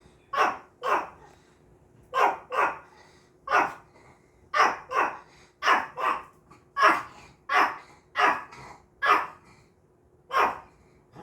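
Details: Maltese dog barking while watching a recording of itself: sharp, high barks, often in quick pairs, repeated about every second with short gaps, and a faint steady hum underneath.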